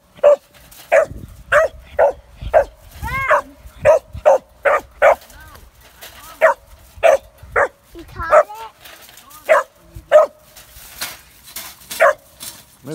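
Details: Three-and-a-half-month-old Kemmer Cur pup barking at a caged squirrel for the first time: about seventeen high, clipped yips spaced roughly every half second to second, with human speech in between.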